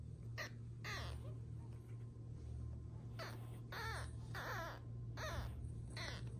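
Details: Young Pug-Beagle mix puppies, dwarf pugs from a first litter, giving repeated short high whining squeals that bend up and down, several per second in bursts, over a low steady hum.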